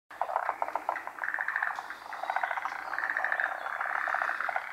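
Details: Forest green tree frogs, a species endemic to Japan, gathered for midday spawning in the rainy season; many overlapping pulsed, rattling calls in rapid bursts, with a dense chorus running throughout.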